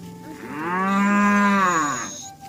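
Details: A single long, even moo from one of dozens of cows walking home to the pen in the afternoon, swelling and fading over about a second and a half.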